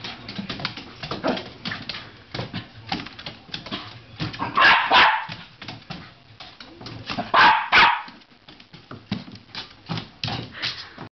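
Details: An indoor Patterdale Terrier chasing a flashlight beam and spinning around on the floor; scrabbling claws and panting are broken by two short, sharp barks, with quick yips between.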